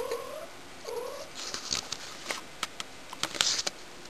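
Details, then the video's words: Two quick, nasal meows in a row from Shy, a house cat being annoying, each bending upward then down, followed by a burst of clattering taps and knocks. "My cat @ annoying 2day"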